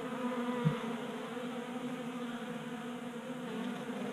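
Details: Honey bees feasting at a 3D-printed feeder on a workbench in a Colorado garage during unseasonably warm January weather; continuous droning buzz of many wings, one brief low tap early on.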